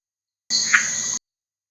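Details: A male red-eyed tree frog (Agalychnis callidryas) in Costa Rican lowland rainforest gives a single short, dry croak: an advertisement call announcing his presence to females and rivals.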